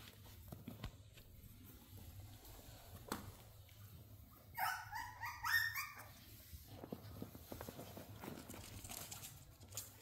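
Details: Playful dachshunds indoors in a small room: a burst of high, whining yips and whimpers in the middle, rising and falling, with footsteps and soft room noise around it.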